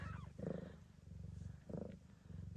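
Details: Blue bicolour Ragdoll mother cat Gambit purring while giving birth to her litter at an Australian breeder's; a steady low rumbling purr runs throughout, swelling in two louder breaths, with faint rustling in the background.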